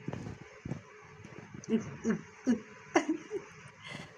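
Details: Rescued homeless stray mother cat giving birth to seven kittens; short, low, tonal calls come in a quick run of about five, roughly two per second, with faint human voices and soft background noise.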